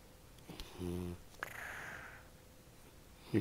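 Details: Percy, a French Bulldog, snoring after going back to bed in the morning: one buzzy, low harmonic snort lasting about half a second, then a long breathy exhale. A brief human voice follows at the end.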